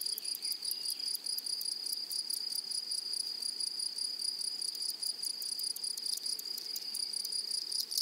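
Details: Grasshoppers calling in a flowery meadow or prairie: a continuous high, thin buzzing tone, overlaid with rapid regular pulses of an even higher chirping layer, steady throughout with no other clear sounds.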